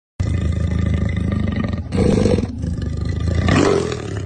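A leopard gives deep, rough, rasping calls in low, throaty bursts.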